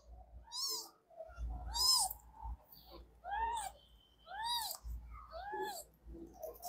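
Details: Several three-day-old kittens with eyes not yet open, calling together indoors: thin, arched mews that rise then fall, repeated about once a second and overlapping one another, with soft voices and handling noise between calls.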